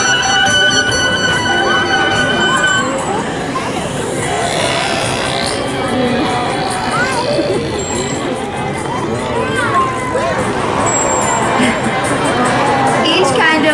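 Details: Captive killer whales at SeaWorld San Diego make squeaky, sweeping calls that rise and fall during a show, with crowd murmur behind.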